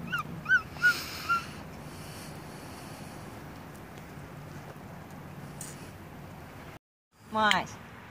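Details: Capuchin monkey Masyanya, a pet celebrating her birthday with cake, gives three quick high warbling chirps, then quiet, then a rising squeaky burst of calls after a short break.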